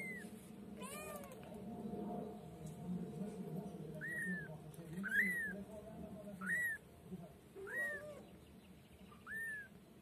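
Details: A female white kitten kept as a pet cries in a series of short, high, curved meows, about seven in ten seconds at uneven intervals. A low background drone is also heard.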